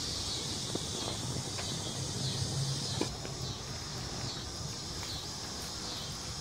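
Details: Crickets chirping as a continuous high trilling wash, fairly even in loudness throughout, with scattered soft clicks and low rumbling noise underneath.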